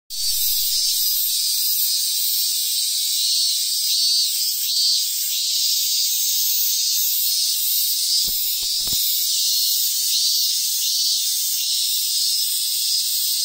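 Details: Cicadas on a tree in hill country in Ehime, Japan, fill the air with a loud, steady, high-pitched buzzing chorus; the species is identified as the robust cicada (minmin-zemi).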